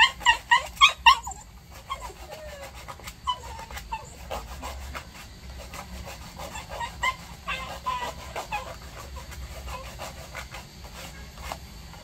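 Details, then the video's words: During a nail-care session, a Maltese dog gives a quick burst of sharp high yips at the start, then softer scattered whimpers and short whines amid clicking and handling noise. "Maltese Dog Nail Care Reaction"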